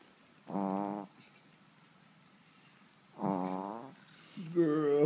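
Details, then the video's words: Sleeping Yorkshire Terrier snoring: two drawn-out, buzzy, tonal snores of about half a second each, nearly three seconds apart, with a third beginning at the end, in an otherwise quiet room. "Dogs snoring"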